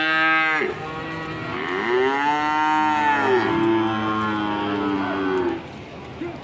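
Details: An angry cow lets out a long, strong moo that bends up and falls away, followed by a second lower, wavering bellow lasting several seconds. The cattle are raging and panicking their owners.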